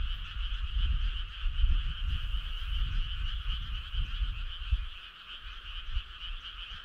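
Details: Choir of frogs on a summer night by a rural road, an even, bright, fast-pulsing chorus that never pauses, beneath constant low rumbling noise.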